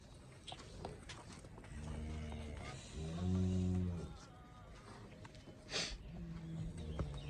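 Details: Cholistani Friesian cross cow in Pakistan, shown for sale as its calf is brought, lets out two low harmonic moos, the second longer and louder, over rustling and men's voices.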